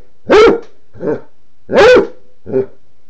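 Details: Basset Hound, male, demanding water because his dish is empty: two strong, husky barks, each followed by a softer, lower half-bark, in an uneven rhythm.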